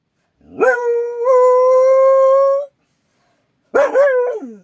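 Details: Akita guard dog at home, alert to a strange noise outside, gives one long steady howl of about two seconds with rich harmonics, then a shorter wavering howl after a brief silence; no other sounds.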